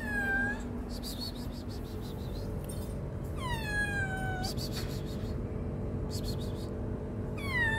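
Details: Hungry, shy stray kitten living on the street, meowing: several high, falling meows, each dropping in pitch and spaced about every three seconds, over steady low background hum and some faint clicks.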